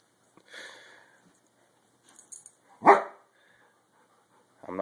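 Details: Two big dogs getting fed up with Sophie, a tiny, energy-filled puppy, at play: a single loud sharp bark stands out amid quiet scuffling, with a brief high yip at the start and a voice breaking in at the end.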